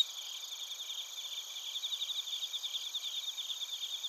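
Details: Night-style insect chorus of bell crickets and field crickets in Narita, Chiba, Japan, recorded on a TASCAM Portacapture X8: layered high-pitched ringing trills with quick chirp pulses that grow a little louder and more rhythmic partway through.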